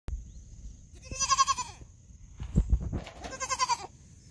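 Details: Baby goat talking to a human: two wavering, tremulous bleats about two seconds apart, each roughly half a second long, with knocks and handling noise between them and a steady high electronic whine throughout.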